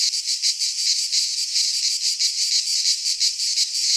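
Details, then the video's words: Cicadas singing in midsummer in a Greek pine forest: a dense, continuous high buzzing chorus that pulses steadily about every half second, with no other sounds. "Cicadas singing in midsummer"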